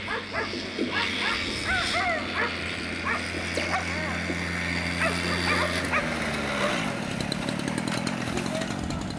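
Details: Afghan Hounds at the unofficial Makkarajuoksut race in Tampere, 2 October 2016, the season finale. Rapid high yelping barks come from several dogs in overlapping bursts over a steady low engine-like drone, with a rougher noisy wash near the end.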